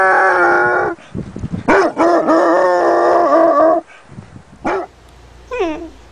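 A Basset Hound lets out drawn-out, deep-chested bays with a steady, slightly wavering pitch, each lasting a second or two. Short, sharp barks that drop in pitch follow near the end.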